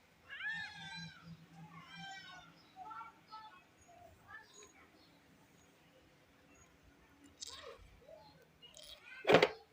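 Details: Kittens and cats meowing in a compilation: a few bright, bending meows in the first three seconds, followed by quieter scattered mews, soft rustling, and a sharp knock near the end.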